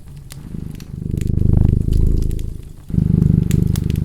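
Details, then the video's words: Cat purring softly, then swelling into a fuller rumble, fading, and resuming strongly after a short pause, while scattered fireplace crackles pop in the background. "Cat Purring and Crackling Fireplace sound"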